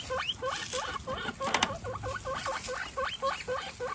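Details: One-week-old baby guinea pigs, kept indoors among a group of 29, give a steady series of short upswept squeaks, each rising sharply to a high peak, repeated several times a second with faint rustling behind.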